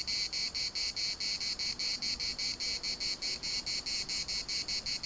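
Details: Cicadas singing in a municipal park in Larnaca: loud, buzzy high-pitched pulses repeated about four times per second in a steady, continuous rhythm, filling the air with a dense shimmering drone.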